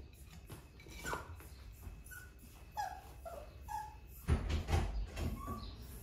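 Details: Male Cavapoo puppy whimpering: a run of short, thin whines that slide downward in pitch, spaced irregularly over a few seconds, with soft thumps and handling noise toward the end.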